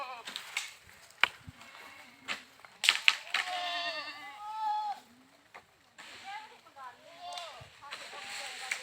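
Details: Goat bleats, wavering and nasal, broken up by sharp clicks and knocks, with quieter bleats following after a short gap.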